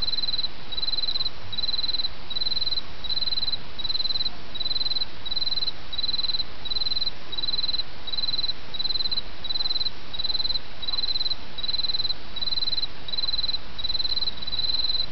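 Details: Steady high trilling of an autumn insect repeats in short pulses nearly every 0.7 seconds without pause, set against the soft, constant babble of flowing stream water.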